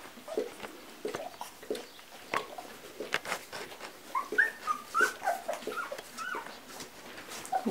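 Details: Quiet, scattered whimpers and squeaks from a two-week-old Labrador Retriever litter indoors, dated 11 January 2016, short tonal peeps clustering in the middle, over rustling and a person speaking softly.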